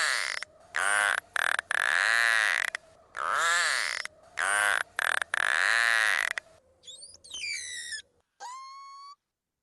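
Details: Narwhal (Monodon monoceros): loud, harsh pulsed bursts followed by a few thin, wavering whistles that rise and fall.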